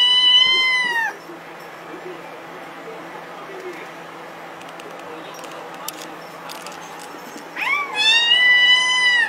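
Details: Kitten meowing: one long high meow with a slightly falling end opens the recording, followed by a quiet stretch of low hum, then a second drawn-out meow rising and then levelling near the close.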